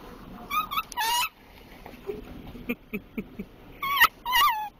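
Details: Dachshund whimpering more as it nears Timbits, with Timbits staff laughing; high wavering whines near one kilohertz with harmonics, in bursts at the start and near the end, soft voices and knocks between.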